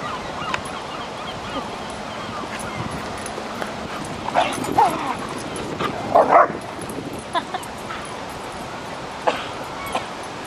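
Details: Huskies, collies and mixed-breed puppies and dogs playing together at a dog park, giving a few short sharp barks and yips, two louder bursts in the middle, over a steady background hiss.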